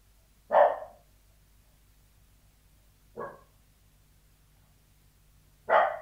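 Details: Indoor Sealyham Terrier, muffled behind a door, giving three single barks: a loud one, a softer shorter one about two and a half seconds later, then another loud bark.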